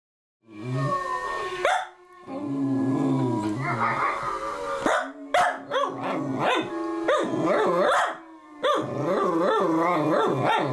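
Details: Cavapoo dog trying to howl like wolves: loud, sustained wavering howls with rich harmonics that slide up and down, broken by short pauses, with other howling voices mixed in.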